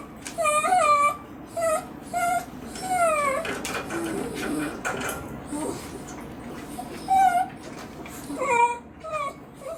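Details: A female Miniature Dachshund, shut in her cage for a time-out, whines in high, wavering, nasal cries, pleading to be let out.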